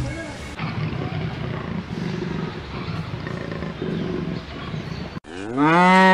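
A dense, rumbling low murmur gives way to a loud, rising cow moo with rich harmonics in the final second.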